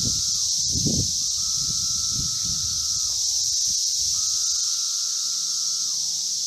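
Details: Brood V 17-year Magicicada cicadas in Logan, Ohio, Vine and Walnut intersection: a constant shrill chorus, while two separate lower droning calls each hold steady for about two seconds and then drop in pitch at the end; low thumps at the start.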